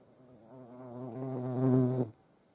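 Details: European hornets with ants at a feeding place in Dohr, Eifel, on 28 July 2022; a low droning buzz swells in loudness for about one and a half seconds, then cuts off abruptly.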